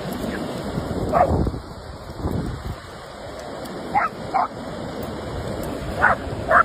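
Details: German Shepherds playing together in a large group; short, sharp barks ring out singly and in pairs, near 1.2, 4 to 4.5 and 6 to 6.6 seconds, over a steady rushing background noise.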